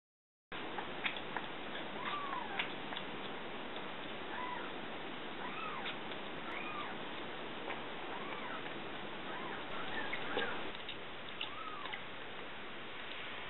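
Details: Three rescued baby kittens, found in a cardboard box on a hot August 2013 day, mewing while being bottle-fed: repeated thin, arched meows that rise then fall, about a dozen across the stretch, over a steady low background hiss.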